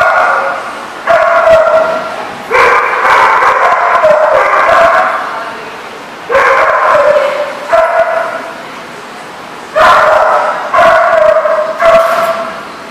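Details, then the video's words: Several dogs barking, recorded 6/13/14; long runs of loud overlapping barks and yelps in bursts lasting one to two seconds, separated by brief lulls, busy and continuous. "The Barking Lot"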